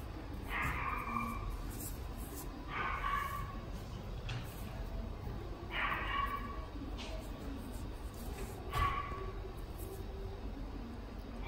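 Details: Shrill, clipped barks from a Standard Poodle in the Fuji branch of the Inu no Ie pet shop, four main yelps about every three seconds over constant indoor background hum.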